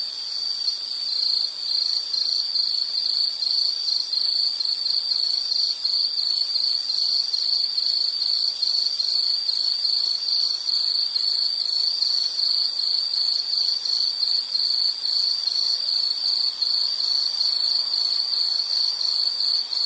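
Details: Loud insect chirping: rapid, evenly spaced pulses at a single high pitch run without pause, with fainter higher trills behind.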